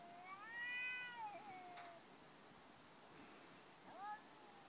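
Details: Pet cat 'talking': a long meow that rises slightly then slides down into a lower tail, a short pause, then a brief second meow near the end; a soft click and faint hiss behind.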